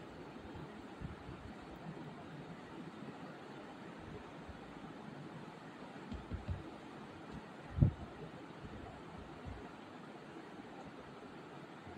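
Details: Low rumbling wind and vehicle-like noise with a single soft thump near the eight-second mark, and no animal voice.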